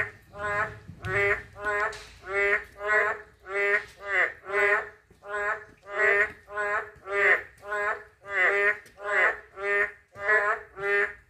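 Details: A narrow-mouthed toad gives a fast, regular run of about twenty nasal, twangy croaks, nearly two per second, with a brief rustle at the start.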